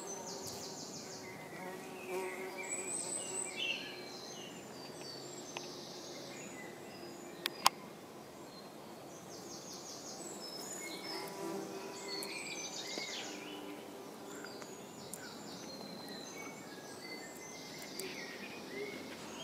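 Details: Tree bumblebees at their nest in a bird box in Iceland give a low, steady droning buzz with faint harmonic layers that swells and fades. Busy high twittering from small birds runs over it throughout.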